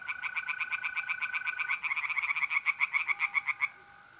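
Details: Tree frogs singing in a pond at night in mid-April, North-East Italy: a fast run of sharp, evenly spaced croaking pulses for nearly four seconds, then a stop, over the steady high trill of mole crickets.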